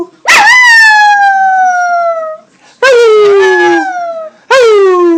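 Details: Domestic dog showing off her vocal prowess with repeated howls: three sliding tones, each starting high and gliding gently down, the first two lasting around two seconds, clear and loud.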